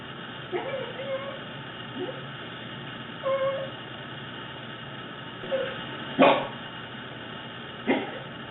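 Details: Fluffy male pet Corgi making a string of weird noises indoors: short warbling, moaning whines that bend up and down, then two sharp yips near the end, while a person speaks in the background.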